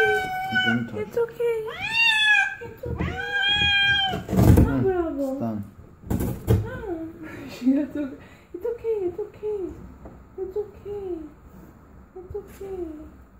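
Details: Domestic cat giving birth indoors in a small room: loud, drawn-out harmonic meows rising then falling, followed by shorter, softer wavering cries, with people talking throughout.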